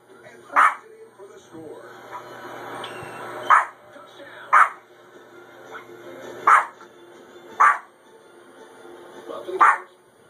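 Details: A small Maltese dog indoors gives sharp, high yaps spaced a second or two apart, barking at dogs she hears and sees on a TV puppy show, over faint background sound.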